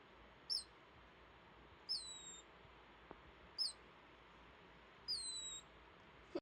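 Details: Male pet degu named Rio dozing in timothy hay bedding gives sleepy snoring squeaks: four shrill chirps, two stretched into longer descending whistles, about one and a half seconds apart, with a soft tap between.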